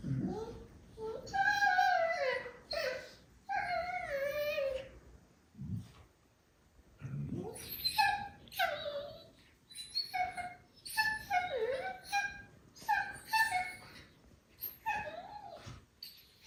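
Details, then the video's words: Two medium goldendoodle puppy siblings vocalizing during play, said to sound more like seals; repeated whiny, wavering yelps and warbling moans in short bursts across the recording, indoors. "Why Do They Make These Crazy Noises When They Play???"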